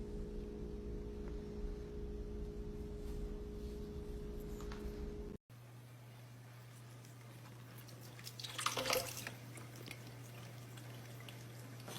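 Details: Dripping and squishing water sounds with low indoor hum, a short break, then a brief splashy burst; no animal calls.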